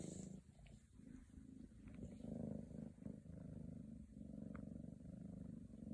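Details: Purring from Scottish Fold kittens seeking attention in Virginia, a steady low vibrating rumble that swells and fades over several seconds with brief dips, and a few soft clicks.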